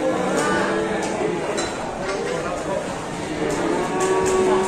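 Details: Angry, rampaging cow in Indonesia bellowing in repeated harmonic moos amid a noisy crowd of onlookers, with people talking and some music in the background.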